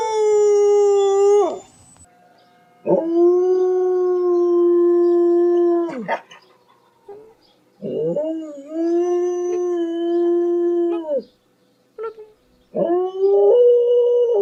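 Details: Domestic dog giving loud, drawn-out howls in separate bouts, each a few seconds long. The tone is steady and flat, with short slides at the start and end, and there are brief silent gaps between howls, about four bouts in all.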